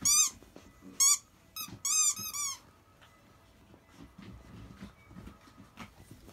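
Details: Akita puppies, 52 days old, litter of the mother dog Jun, the largest over 7 kg, indoors: high, squeaky harmonic whines in quick bursts through the first two and a half seconds, then quiet rustling and faint thumps.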